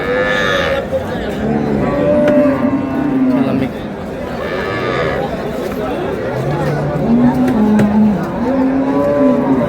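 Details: Cows with calves at Ambari cattle market in Dinajpur, Bangladesh, on March 6, 2026: several low droning moos with harmonic bands, some rising at the end, over a busy crowd with men's voices bargaining.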